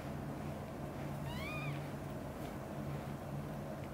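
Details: British shorthair cats: mother cat Xaxa gently tending three kittens, Piano, Miracle and Cream, at home. A single high, rising-then-falling meow at about one and a half seconds over a steady low indoor hum.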